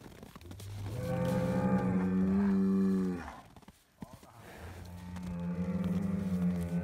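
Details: Noisy Highland cattle bull on a Finnish farm, fed bread, lets out a loud drawn-out moo lasting about two seconds, pauses, then starts a second long steady moo; deep, harmonic and droning.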